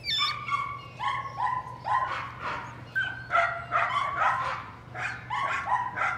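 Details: Patterdale Terrier puppies working rats during an evening training session in their puppy pen; a rapid run of high, sharp yipping barks, several per second in bursts, each with a ringing tonal edge, over a steady low hum.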